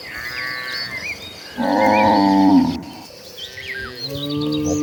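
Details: A herd of cows rushing toward green pastures, one long harmonic moo lasting about a second in the middle, with softer lowing before and after, bird chirps above, and a man's voice nearby.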